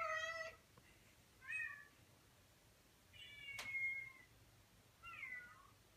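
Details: Indoor male Persian cat calling for an online cat he is infatuated with: four short meows spaced about every one and a half seconds, some upward-inflected, with a sharp click between the third and fourth.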